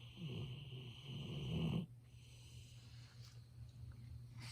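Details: Golden Retriever named Ibuki sleeping indoors, recorded on a smartphone up close, gives one long rumbling, snoring breath for nearly two seconds before falling quiet, leaving only faint room hum.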